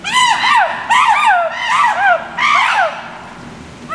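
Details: Chimpanzees, including a baby, give loud, shrill screams in quick arching bursts, each rising then falling in pitch.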